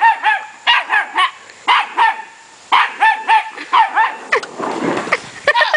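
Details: Young puppy yapping in sharp high barks, roughly one burst a second in groups of two or three, ending with a rustling scuffle and a few more yips.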